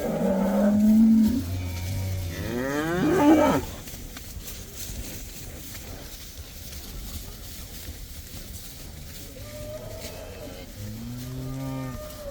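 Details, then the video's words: Cattle, a herd of some 80 let outside for the first time: a loud moo opens, a second harsh, strained bellow follows, then a long quiet stretch before a softer moo near the end. "These cows are allowed to go outside for the first time! They love that!!"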